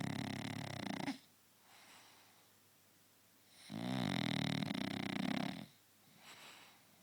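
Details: A pet French Bulldog snoring indoors: two long, rasping, rattling snores with strong low buzz, the first ending near one second and the second lasting about two seconds, separated by quiet breathing pauses.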